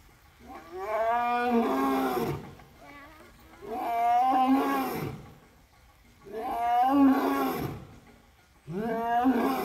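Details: African lion at Southwick Zoo, shaking his wet mane and roaring: four long, hoarse, evenly spaced roars about every two and a half seconds, each swelling and fading, with moderate background noise.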